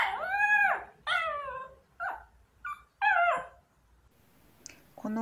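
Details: A small long-coat Chihuahua waiting at the front door for its owner, who has left for work, gives a series of drawn-out, wavering, wolf-like howls that rise and fall.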